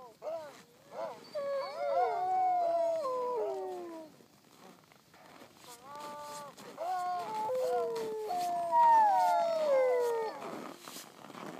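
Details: At La Plagne, a group of Siberian huskies howls in chorus in drawn-out, wavering, falling tones that overlap and rise again after a brief pause, with some yips mixed in.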